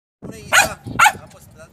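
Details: Female Belgian Malinois barking at her own reflection: two short, sharp, loud barks about half a second apart, with faint background noise.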